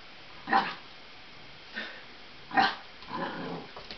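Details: Barking at balloons out of fear, an 8-week-old puppy, a Lab crossed with an Australian Blue Heeler, lets out three short, moderately loud barks spaced about a second apart, ending in a softer, rougher growly sound.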